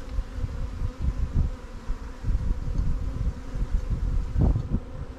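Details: Honey bees at newly captured swarm hives, Langstroth and Warre, in an apiary during a hive inspection; a steady low drone with layered humming tones, overlaid by thumping low rumbles of handling and wind.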